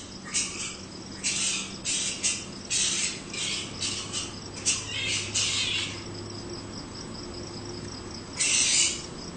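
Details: Australian flying fox near a home: harsh, screechy broadband bursts, each under a second, come in rapid irregular runs with short gaps, over a steady high insect trill and a faint low hum.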